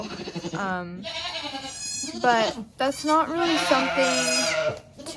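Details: Maggie, a first-time Nigerian Dwarf doe in labour with twins on a Northern California dairy goat farm, gives wavering, harmonic-rich bleats that rise and fall, overlapping with human voices.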